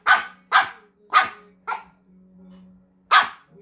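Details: White Pomeranian named Mochi barking while playing a paper-cup shell game: four sharp, loud barks roughly half a second apart, a pause of over a second, then a fifth bark, over a faint steady low hum.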